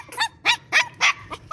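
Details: Five-month-old tri-colour Shih Tzu puppy, excited to play, giving six short, high-pitched yappy barks in quick succession, each a sharp harmonic yip spaced roughly a quarter second apart, with little background noise.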